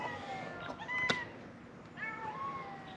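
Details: Feral cats at a closed-down building on Mare Island Naval Shipyard, Vallejo, California, crying in hope of food while being fed beef jerky; two harmonic meows, the second drawn out and falling, with a man talking and faint music.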